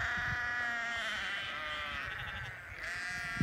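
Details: Hungry Lincoln Longwool sheep with their grown lambs in England, a flock bleating together in overlapping, wavering, harmonic-rich cries that run almost continuously, with low thumps and shuffling underneath.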